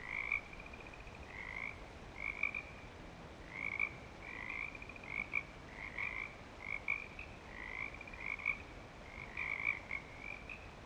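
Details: Frogs at Clearwater Commons, back and active, call with short, bright croaking notes repeated in quick, uneven bursts.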